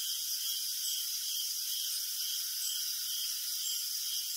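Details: {'caption': 'Crickets chirping in the night: a steady stream of quick, high pulses, roughly 130 a minute, rides over a dense, even hiss of high-pitched sound, with nothing heard in the low range.'}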